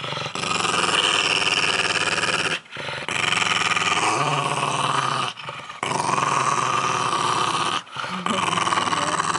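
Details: Pug Milo guarding his pumpkin squash at Halloween: long, gravelly growls lasting two to three seconds each, broken by short pauses for breath, four bouts in all.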